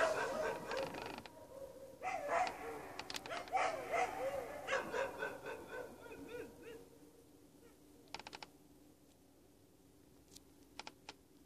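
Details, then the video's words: Dogs howling together with coyotes outdoors, a wavering chorus of yips and rising and falling howls over about seven seconds that fades into quiet with a few faint clicks. "The dogs howling! Coyotes in Background"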